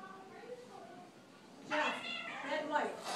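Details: Two domestic cats, Wispy a dark cat and Rex a spotted cat, fighting indoors on Thanksgiving; quiet low growling gives way to loud harsh overlapping yowls and caterwauls in the last second and a half, with a person speaking.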